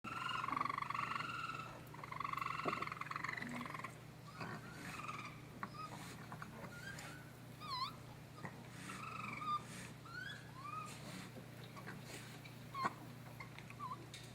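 Baby raccoons cry with harmonic mewing wails, then high, bird-like chirps and quick downward-slurred twitters.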